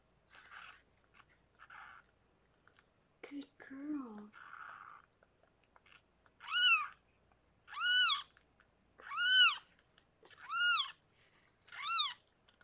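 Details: During Harlequin's birth of six kittens, a rescued pregnant foster cat indoors; soft human talk and a low brief sound open, then five loud, high, arched mews repeat steadily about every second and a half.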